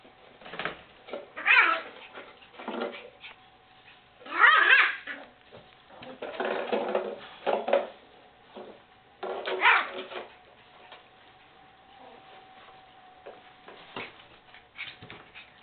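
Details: White Miniature Schnauzer puppies, born December 21, 2012, playing with black-and-silver puppies indoors: scattered short yips, whimpers and scuffling bursts at irregular intervals, with a steady faint hum underneath.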